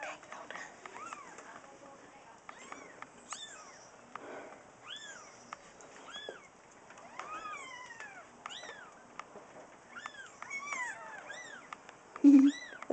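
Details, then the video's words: Day-old kittens, born May 18th and recorded that same day, calling in a steady run of thin, high, arched mews, several overlapping, about ninety per minute, with quiet background music and a loud knock near the end. "Day Old Kittens"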